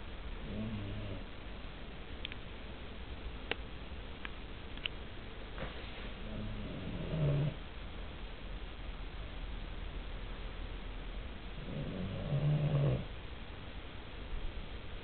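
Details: A sleeping Cavalier King Charles Spaniel snores, with two drawn-out low, buzzy rasping breaths about five seconds apart and quieter breathing and faint clicks in between.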